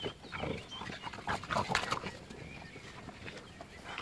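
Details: Dog from a comparison of an American Bulldog, a French Bulldog and a Bull Terrier; rough, breathy snorts and panting puffs come in uneven bursts, strongest around the middle, with faint bird chirps and outdoor background noise.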